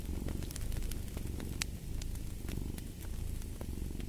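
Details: Cat purring steadily, a low, continuous rumbling throb that swells and eases in rhythmic waves, with sharp crackles and pops from a fireplace scattered throughout.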